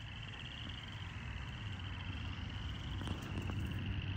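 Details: First spring frogs calling in a glade together with crickets: a steady high pulsed trill runs unbroken throughout, over a heavy low rumble of wind or distant traffic.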